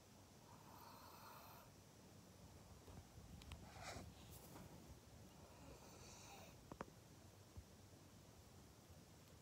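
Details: Maria, a pet pug in Japan, recorded on 12 July 2021, gives rough snoring snorts indoors, with a louder breathy burst near the middle and a few short sniffs and clicks over a steady background hiss.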